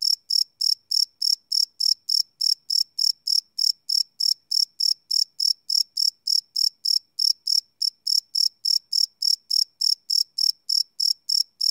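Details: Night chorus of crickets captured live with a Sony PCM D100 recorder, giving rapid, evenly spaced high-pitched chirps about three each second, unbroken and clean against a silent background.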